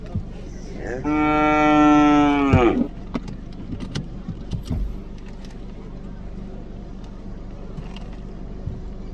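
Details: Cow mooing: one long, steady, loud moo of about one and a half seconds with a rich stack of even harmonics, ending abruptly, then low background rumble with scattered clicks and knocks.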